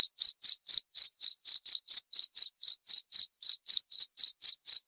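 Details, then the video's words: Steady cricket chirps meant to scare off rats, also used as a lure sound: bright, short, high-pitched pulses ticking at roughly four per second over a silent background. "Cara ampuh usir tikus dengan suara jangkrik/suara pikat ampuh jangkrik"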